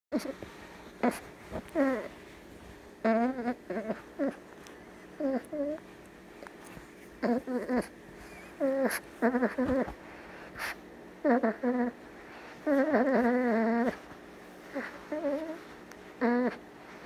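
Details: A Boston Terrier puppy a few months old makes short, wavering whines and little grunting squeaks in bursts while snuggling.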